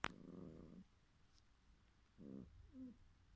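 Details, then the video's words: After a sharp click, a cat dreaming in its sleep makes a long, low, purring grumble, then a shorter one and a tiny high squeak at the end, all soft and close. "Cat Dreaming"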